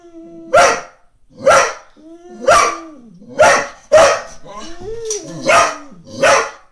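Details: Female Brittany dog barking at the neighbour's cat, asleep on the lawn, set on waking her: seven sharp, harsh barks about once a second, with high whining tones held between them.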